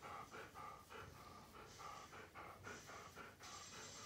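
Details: Siberian Husky peeking through a door gap indoors, panting in quick, soft, breathy bursts of about four per second, each with a faint hoarse tone, steady and unbroken throughout.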